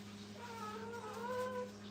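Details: Brittany puppies with their mother at a kennel; a thin, high whimper wavers and rises slightly, held for over a second above a steady electrical hum.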